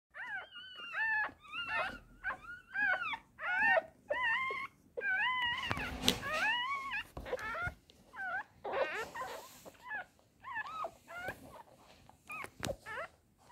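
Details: Newborn Chihuahua puppies in a home kennel in Simferopol, Crimea, recorded 31 July 2021, squeak and whimper in thin, high, wavering cries. The short yelps come in quick, uneven bursts, often overlapping, with brief quiet gaps between.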